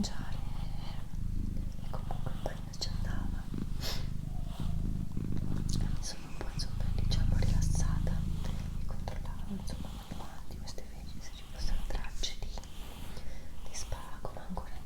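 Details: Purring from Doroti, a female house cat: a continuous deep, pulsing rumble that swells louder near the middle, accompanied by quiet whispering and small mouth clicks in a small room.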